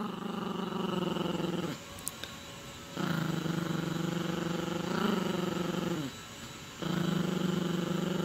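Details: Gracie, a Yorkshire Terrier puppy, growling while playing with her owner and a dog toy: long low rumbling growls in sustained stretches, broken by short pauses, with a small click partway through.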